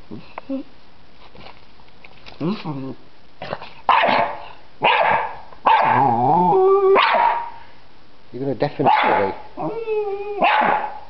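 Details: Freddy the dog barking at a butterfly in a yard: a series of short barks and yelping, whining calls with wavering pitch, mixed with a person talking.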